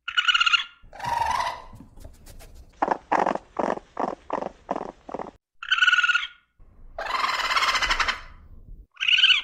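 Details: Raccoon calls: a high squeal and a lower whine, then a quick run of about eight pulsed chitters, more high squeals and a drawn-out raspy growl.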